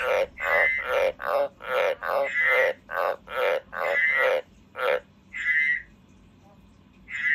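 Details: Pet frog croaking indoors: a fast run of about ten harsh, pulsed croaks, each under half a second, then a pause and two separate higher, shorter croaks; quiet background otherwise.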